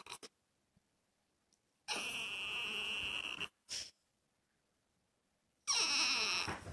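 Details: Male dog kept apart indoors from a female in heat produces long, shrill, strained whining cries, two extended ones with a brief squeal between, in a quiet room.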